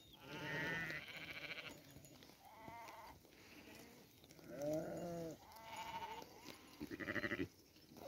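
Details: Sheep bleating, several overlapping voices at differing pitches; wavering, nasal bleats come roughly every second, the last one shaky and pulsing, over a steady background hiss.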